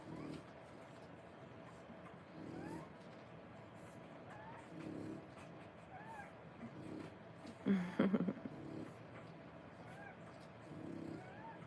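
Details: Three-week-old French Bulldog puppies indoors while nursing from their mother. They give faint, short, rising squeaks every couple of seconds, with a brief louder scuffling burst midway, over steady room hiss.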